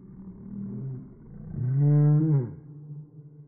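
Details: Angry Chihuahua shown in slow motion, giving a deep, drawn-out growl that swells into a loud tonal roar around the middle before fading, the slowed playback making it sound low and rumbling.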